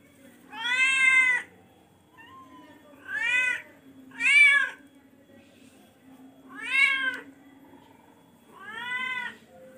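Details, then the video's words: Repeated meowing from a charcoal F1 cat: five loud, harmonically rich meows spaced roughly two seconds apart, each about half a second long, over a quiet steady hum. "charcoal kucing f1"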